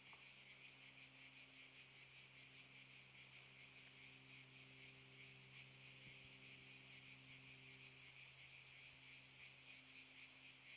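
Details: Cicadas chorusing in Park Šuma Musapstan, Zadar, in August 2014: a dense, continuous high buzzing hiss with steady rapid pulsing, a faint low hum underneath.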